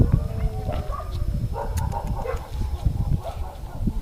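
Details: A male Siberian husky gives short, tonal yowling calls over a heavy low rumble.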